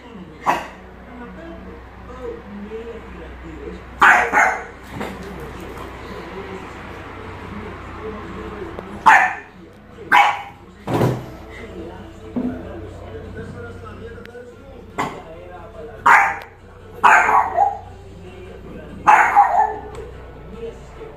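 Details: A Boston Terrier confronting a snake gives sharp, scattered barks, single or in quick pairs, over a low background hum.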